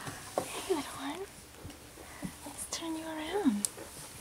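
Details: Poodle puppies slightly over two weeks old, a Louisiana litter, give thin rising-and-falling whines, two drawn-out squeaky cries with soft rustling between them.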